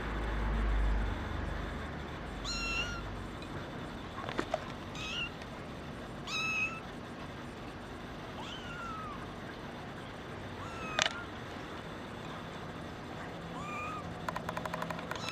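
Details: Female brown tabby and white kitten, born 28 December 2010, gives short, high, thin meows that rise and fall, about six spaced across the recording, over a steady low background hum.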